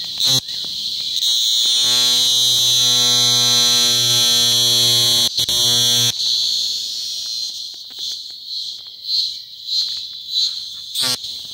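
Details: A cicada in Macuiltépetl Ecological Park, Veracruz, during a mass emergence after rains softened the soil and cicadas climbed tree trunks, gives a loud, shrill, steady buzz that later breaks into rapid pulsing bursts.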